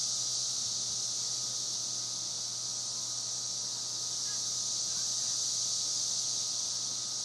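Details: Cicadas in Spring Hill, Tennessee, fill the air with a steady, high, hissing drone that never lets up.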